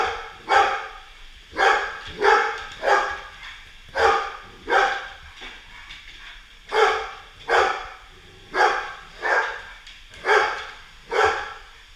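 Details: Golden Retriever SirJi battling a feisty Roomba, barking loudly and persistently: about thirteen sharp, broad barks in twelve seconds, some in quick pairs, with short pauses between bursts.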